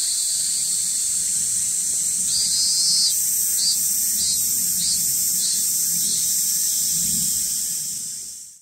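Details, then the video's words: On Shikoku, Japan, a cicada struggles to get going near a pilgrim shelter overlooking a town. A constant high shrill hiss carries a few hesitant pulses that start, falter, and fade out at the end. "ne sais pas si tu entends, mais il y a une cigale qui a du mal à démarrer."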